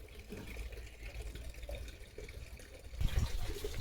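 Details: Running tap water and splashing fill the short recording, growing louder near the end, with no animal sounds.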